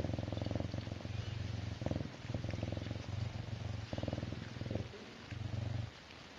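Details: Contented serval purring: a deep, rhythmic rumble in repeated long bursts separated by short breath gaps, without other clear sounds.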